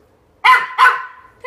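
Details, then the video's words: Female pet dog barking for attention, two loud, sharp barks in quick succession about a third of a second apart, followed by the owner talking. "WHY SHE'S REALLY BARKING"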